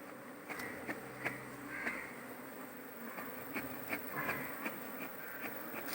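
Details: Smoked honey bee colony in Kerala beekeeping, the queen inside the cluster: a dense, steady buzzing drone of many bees, punctuated by frequent irregular clicks and taps from hive work.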